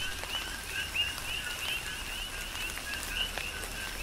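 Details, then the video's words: Coqui frog chorus on the Big Island, Hawaii, under falling tropical rain. Thinner, scattered high chirps rise over loud raindrop taps and a wash of rain noise. "Tropical Rain & Coqui"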